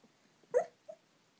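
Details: An elderly dachshund, sixteen years old, yelps in its sleep: one brief muffled yip followed by a much fainter, softer squeak, otherwise quiet.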